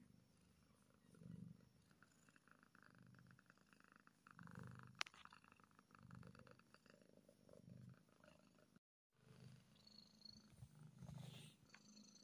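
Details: Contented kitten purring, a deep throbbing rumble that pulses in waves roughly every one and a half seconds, with a sharp tap midway, a brief break, then more purring and light rustle.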